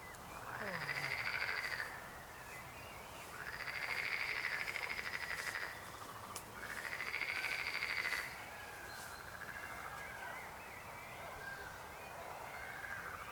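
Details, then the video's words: Frogs croaking: three long, pulsed, rattling trills, each about two seconds, arching at mid pitch with a faint higher overtone, separated by quieter gaps filled with softer distant frog calls. "Rechot żab. Croaking frog sound."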